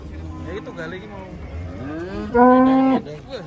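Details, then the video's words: Agitated cattle, described as raging, with a loud, strained moo rising then held steady at about 2.4 to 3 seconds, its harmonics bright and even, after softer lowing and rustling earlier. "KUMPULAN SAPI NGAMUK"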